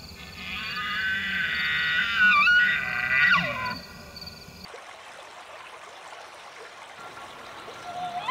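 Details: Elk bugle in the rut, recorded in Pennsylvania or the Canadian Rockies: shrill high whistled notes with harsh overtones and a quick squealing glide, cutting off abruptly and leaving faint background hiss.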